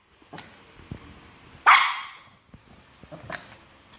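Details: Shih Tzu annoying a myna bird lets out one loud, harsh bark among faint scuffling and soft background noises.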